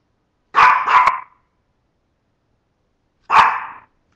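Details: Yorkshire Terrier barking: a quick double bark followed about two seconds later by a single sharp bark, all loud and clear against silence.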